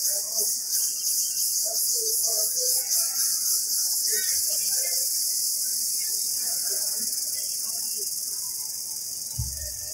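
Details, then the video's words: Jungle chorus of an Indian cicada: continuous piercing high drone with rapid rhythmic pulsing early on, steadying and softening slightly toward the end, a brief low thump at the close. "Noise of Indian cicada in jungle"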